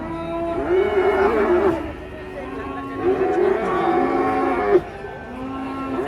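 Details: Enraged cattle coming down off a truck in Indonesia: two long, wavering moos of roughly one to two seconds each, with a steady low drone, music and voices in the background.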